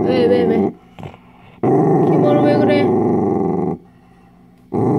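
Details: Dachshund guarding its dog chew, giving deep, harsh continuous growls of about two seconds each, separated by quiet gaps, while a person speaks in Korean at the start.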